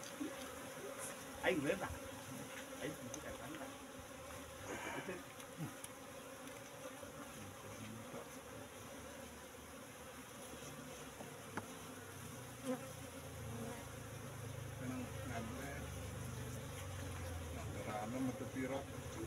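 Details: Apis cerana bees in a cultivation box, moved from the wild forest around three months before, buzzing quietly while their honey is harvested; a soft, even drone fills the clip, with occasional clicks and handling knocks.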